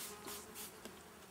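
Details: Honey bees during a swarm inspection, with powdered sugar used as extra protection against varroa mites; a steady, low buzzing hum with a faint held tone, broken by short hissing bursts of handling noise.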